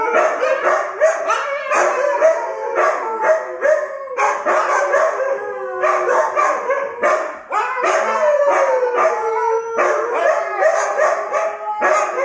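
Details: Several Siberian Huskies howl together in a loud chorus, long wavering overlapping howls rising and sliding down, with short breaks and yips between phrases, continuous throughout.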